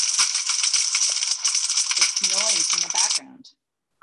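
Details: Thousands of tiny snapping shrimp on a coral reef fill the water with a dense, sizzling crackle of countless tiny clicks, each snap made by quickly closing one huge claw.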